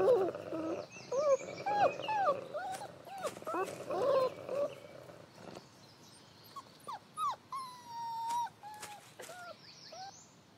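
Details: Wolf family with father Lighthawk, grumpy among his seven relentless pups of the year while setting family rules; rough growling bursts over the first five seconds, then high, bending whines and yelps rising and falling, some drawn out.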